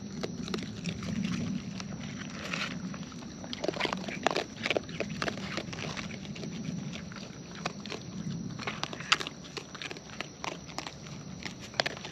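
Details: Close-up wild raccoons eating: intermittent crisp chewing clicks and crunches spread across the stretch, with a low soft murmur underneath and a faint steady outdoor hiss.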